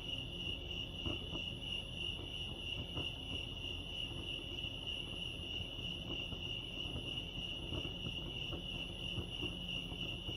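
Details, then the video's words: Crickets at Lake Arrowhead, California, keep up an unbroken shrill pulsing chirp, with scattered faint clicks and a low murmur of background noise. "Serenity sounds crickets chirping lake arrowhead"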